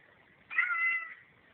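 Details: Domestic cat indoors in a hallway, meowing back at its owner as if in conversation, recorded on a cell phone: one drawn-out, slightly wavering meow of about half a second, with faint room hiss.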